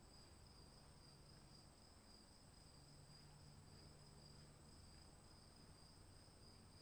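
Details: Rainy-night crickets: a faint but constant, even high trill runs throughout beneath steady low hiss and rumble of rain.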